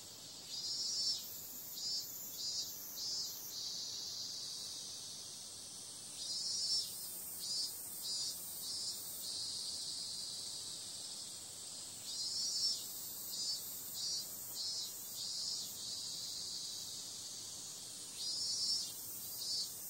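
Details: Cicadas at night in summer: a dense, high-pitched buzzing hiss holds steady while clusters of three or four sharper, louder pulses rise out of it roughly every five to six seconds.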